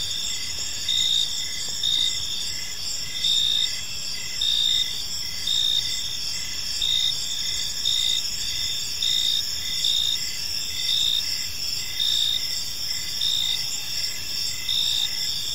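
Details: Crickets in an evening park produce a long, even chorus of high chirps, louder pulses recurring roughly every second over a constant layered insect hum, with a soft low background murmur.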